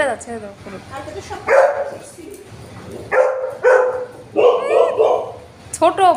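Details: Indoor Golden Retriever, reacting jealously to another dog being petted, lets out a string of five abrupt, harsh barks spaced under a second apart, mixed with a household conversation in Bengali.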